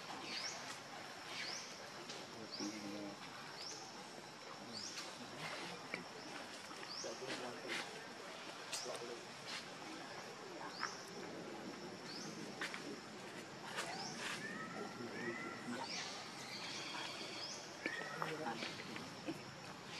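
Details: Hungry baby monkey Leo begging its mother for milk, giving high, thin squeals and short upswept peeps that come in loose clusters, becoming denser near the end, over a constant hiss of outdoor ambience.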